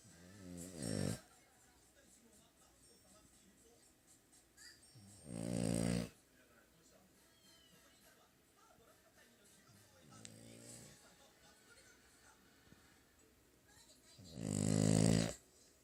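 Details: French Bulldog named Hana snoring while asleep indoors: loud rasping broadband snores in bursts of about a second, roughly every four to five seconds, with quiet breathing between and a faint background hum.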